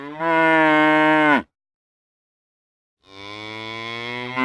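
A cow gives two long, steady moos separated by a short silence.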